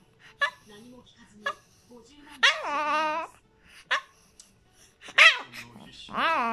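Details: Pet Chihuahua appealing for something, perhaps wanting to be held: soft low whimpers, then a drawn-out wavering whine with a bent pitch, a short sharp yelp, and a final rising whine, with quiet pauses between.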